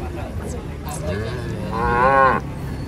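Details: A single rising, strained moo from giant cattle being unloaded from a truck at a market, lasting under a second near the end, after a stretch of muffled background noise and faint voices.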